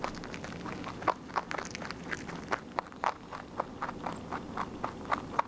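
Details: Pet rabbit eating its food steadily: crisp, dry crunching clicks follow one another quickly and fairly evenly, a few louder bites standing out, all set against a quiet indoor background.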